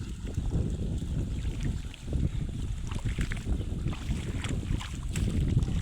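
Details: Strong wind buffeting the microphone outdoors, with low rumbling gusts and no animal voice audible.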